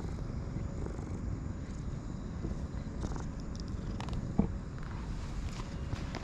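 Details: Light brown and white stray cat purring while being petted, rolling around happily; a steady low rumbling purr throughout, with a few faint clicks and rustles.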